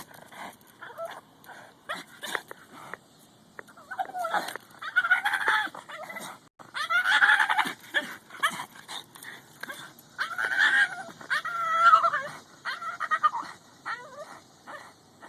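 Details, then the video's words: A female Boston Terrier that never barks chases a goose at a park, giving a run of high, wavering yips and whines that sound almost monkey-like. "Boston Terrier making monkey noise"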